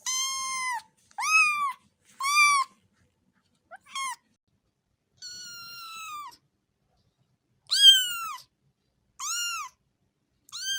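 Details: Domestic cat meowing in short, separate calls, each an arched, rising-then-falling cry, some clipped and brief, one longer and flatter, with silent gaps between them.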